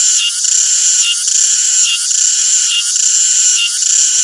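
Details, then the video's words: Cicada chorus, dense buzzy high-pitched droning that swells and dips in pulses a little under once a second, steady and loud throughout with no other sounds. "CICADA SOUND EFFECT 매미 울음소리"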